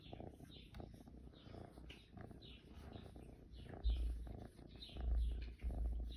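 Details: A purring kitten, recorded in June. A close, steady low rumble grows into louder throbbing surges near the end, with faint scratchy rustles in the background.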